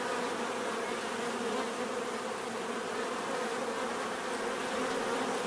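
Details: Bees buzzing in a dense, steady hum, many insects droning together with bands around mid pitch and a broad hiss above, no breaks across the stretch.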